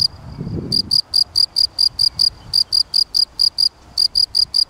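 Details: Chirping field cricket (Gryllus campestris): after a quiet first second with a low thump, crisp evenly spaced tonal chirps begin, roughly four per second, in three bursts split by short breaks.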